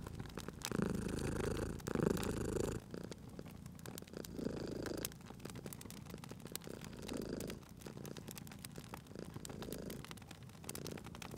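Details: Domestic cat purring by a fire, strong rumbling at first, then softer breath-paced purr bursts separated by quieter gaps, with continual crackling and popping of burning wood.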